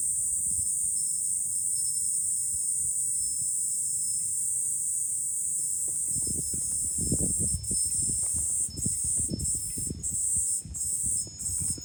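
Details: Cicadas in July at a Fukuoka city hilltop lookout, Japan, droning in a high continuous buzz that breaks into rhythmic pulsing gaps in the second half, while strong wind gusts roar underneath.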